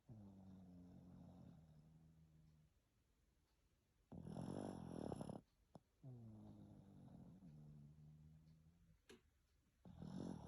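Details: After a shower, Greta the Pekingese alternates hummed, droning exhales with loud rasping snores, a snore roughly every five seconds, in a quiet indoor setting.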